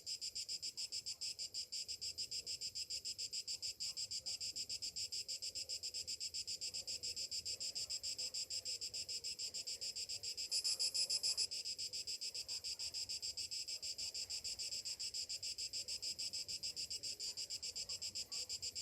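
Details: Cicadas singing on a summer morning: continuous shrill buzz with rapid regular pulses, roughly three per second, and a brief louder, higher surge partway through.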